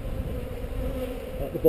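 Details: Honey bees on heather during a hive inspection filmed with a GoPro: a steady, low droning hum of many bees held at an even pitch throughout, with soft handling rumble underneath.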